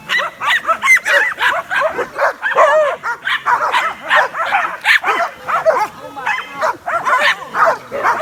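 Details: Excited dogs watching a flying drone bark and run around; a loud, dense chorus of rapid overlapping barks and yelps, several dogs calling at once without pause.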